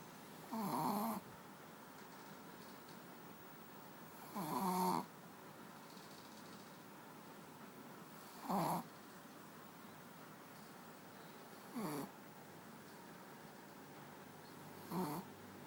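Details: Manja, a pet dog asleep on a bed, snoring in five rasping bursts spaced about three to four seconds apart, each with a rough low drone and a hissy upper edge, quiet room between breaths.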